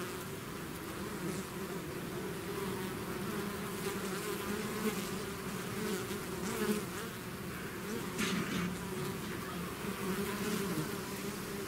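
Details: Swarm of bees out of the hive, a dense, even humming drone with passing bees wavering in pitch and occasional faint rustling bursts.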